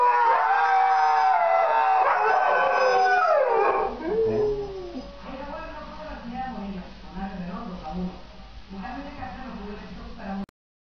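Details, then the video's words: Siberian Huskies howling in a chorus of long falling tones for about four seconds, then fading into softer low whimpering and murmuring sounds. "Howling huskies"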